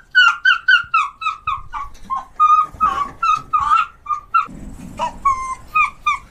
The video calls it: Arctic fox sounds, arctic fox scream